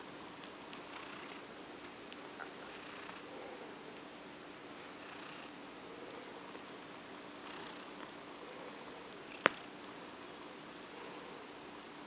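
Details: Female cat called OCD Cat being stroked to sleep; a quiet, steady purr continues beneath soft stroking rustles, broken by one sharp click near the end.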